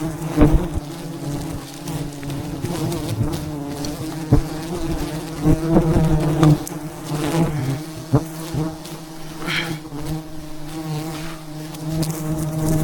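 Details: A giant wild beehive high above the ground in the mountains, its thousands of bees disturbed during a traditional honey harvest, gives a sustained low, humming buzz marked by intermittent sharp knocks and crackles.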